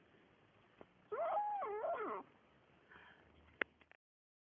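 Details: A greedy Siamese kitten eating meat gives a drawn-out, wavering mew, followed by a few faint clicks.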